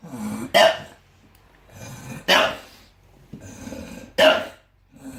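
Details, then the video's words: Snoring bulldog: three loud rasping snorts come about every two seconds, each followed by quieter wheezy breathing between them. "Bulldog Snoring and Barking"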